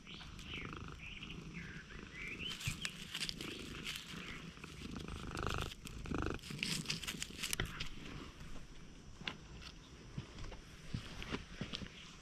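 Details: Stray cat purring while warily approaching, GoPro recording: a dense, rough low rumble fills the clip close to the microphone, with rustling and handling noise and faint meow-like sounds early on.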